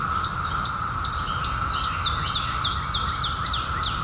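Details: Periodical cicadas emerged in 2021 after 17 years underground, a steady, even droning hum held through the whole stretch, overlaid by a bird's sharp, high, downward-sliding chirps repeated about every 0.4 seconds.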